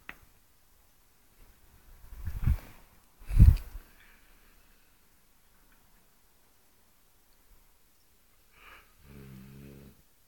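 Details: Eight-month-old female Cane Corso snoring like a lumberjack: two low, rumbling breaths about a second apart, then near silence, then a brief, low, buzzy harmonic grunt near the end.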